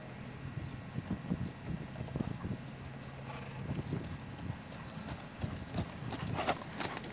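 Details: Lusitano stallion's hooves clip-clopping in irregular soft thuds, while high thin bird chirps repeat about once a second above a steady low rumble.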